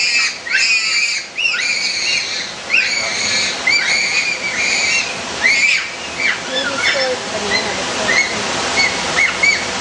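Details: Bonobos munching on frozen treats, heard up close: repeated high, rising and falling squeals with rich harmonics, some in short bursts, over a steady background wash like running water.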